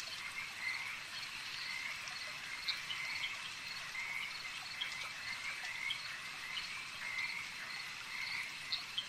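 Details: Frogs calling at a lake: a dense, steady chorus of overlapping high trills, with short bright chirping notes bursting out every second or so above the constant buzz.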